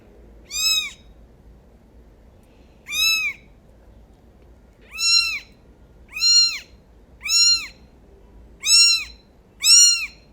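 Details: Kitten meowing indoors: seven short, high, arched meows with bright overtones, spaced irregularly about one to two seconds apart over a quiet background.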